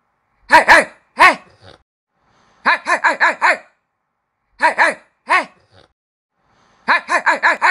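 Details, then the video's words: Puppies barking: sharp, high-pitched yips in quick bursts, first two single barks, then runs of four to five rapid barks repeated in three groups with short silences between. "Puppies Barking"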